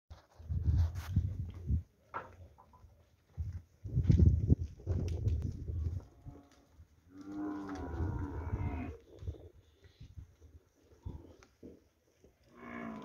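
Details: Ten-month-old Nelore heifer calves, from a group of 22 in the Fernandópolis region of São Paulo, Brazil; one long, rich, harmonic moo in the middle, a shorter moo at the end, with heavy low rumbling bursts and thuds between.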